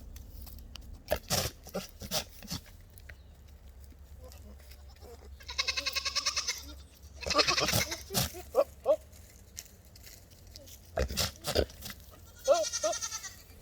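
Goats give harsh, wavering bleats and rapid chattering cries, with a few sharp knocks between calls.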